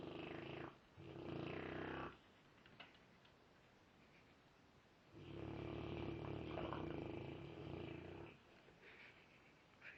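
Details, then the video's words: Dog named Frank snoring strangely: two long, growling, roar-like rasping breaths, each two to three seconds, separated by a quiet pause, with a faint click between them. "demonic snoring dog"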